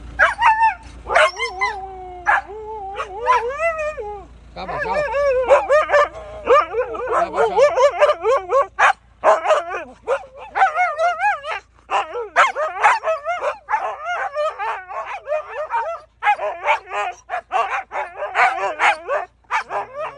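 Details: Three Siberian Huskies, Bombón, the puppy Balto and Max, greet their returning owner at home with a long run of wavering, bending yowls and whining 'talking' calls, rising and falling in pitch, delivered in rapid overlapping bursts while a person speaks to them.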